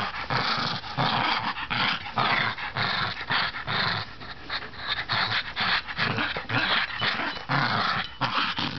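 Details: Chibi, a female bichon playing tug over a toy in a small room, keeps up a continuous throaty growl that surges and dips, mixed with panting and scuffling noises.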